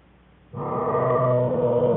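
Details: American black bear cubs Fern and Herbie whining in their den beside their mother Jewel on January 5, 2013. The sound starts abruptly as a steady, buzzy, droning hum rich in overtones, holding level for about a second and a half.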